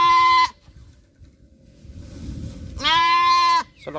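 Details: Farm goat bleating loudly after its young went missing, feared taken by a monitor lizard: two long, strongly harmonic nasal bleats, each level and steady, about two and a half seconds apart, over quiet farm background.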